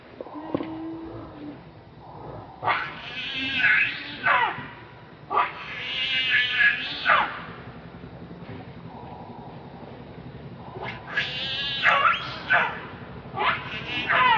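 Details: Monkey named Rainbow, very angry while protecting Lucie from Kachoy, gives loud harsh screams in bursts, each rising then falling, separated by quieter stretches with faint background noise.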